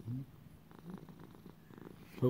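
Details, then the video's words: Male house cat raised as a lap cat, purring quietly: a faint low pulsing rumble through the middle, with a person's brief spoken words at the start and end. "Little buddy purring"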